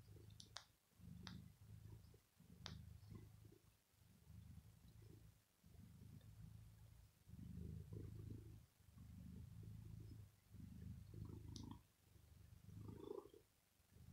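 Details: House cat purring over its owner and biting clothes after pampering, an evening habit lasting 15 to 20 minutes: soft, low purr pulsing in breath-long cycles about every one and a half seconds, with occasional light clicks.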